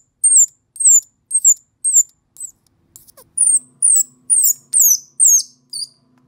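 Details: An orphaned, lost baby squirrel gives thin, very high squeaks that slide downward, repeated about twice a second, calling for its mother.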